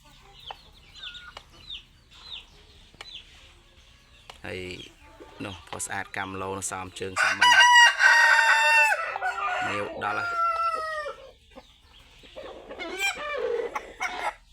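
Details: Fighting cock, an Asil and Kelso cross aged eight months and weighing 3.2 kg, delivers a strong prolonged crow mid-clip, preceded by a man's speech and brief chirps, with more chatter afterward.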